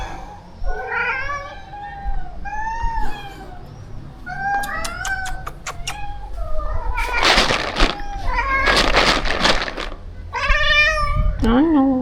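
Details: Rescue cats being fed at a shelter colony of over thirty: a series of wavering, insistent meows from several cats, with clicking, rustling and handling noise in the middle and a woman's voice.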